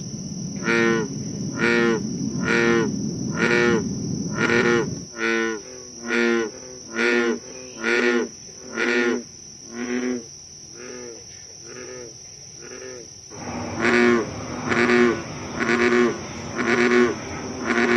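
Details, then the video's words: Chorus of American bullfrogs at Moore's Swamp in Concord, Massachusetts, on a July 2013 night, giving a long run of low twangy croaks roughly one per second, several frogs alternating, with a constant high-pitched insect whine behind. "Bullfrogs Croaking"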